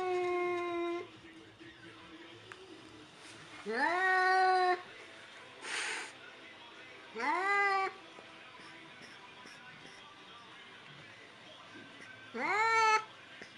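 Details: A white cat meows repeatedly at a mannequin. One long even meow is followed by three shorter rising and falling meows at intervals of about three seconds, with a brief hiss-like noise burst in between.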